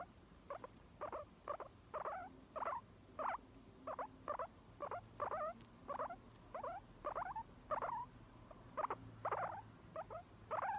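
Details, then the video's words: Guinea pig squeaking rhythmically, about twenty short wavering chirps repeated roughly twice a second, each bending up and down, against a quiet background. "モルモットの鳴き声1分耐久動画 キュコキュコ"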